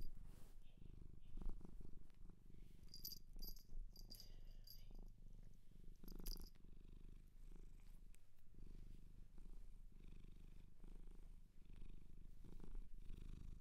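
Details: Purring of a cat adopted from a shelter in Japan, a low throbbing drone in a calm indoor setting, interrupted by bright jingling clicks early on and a louder rustle near six seconds.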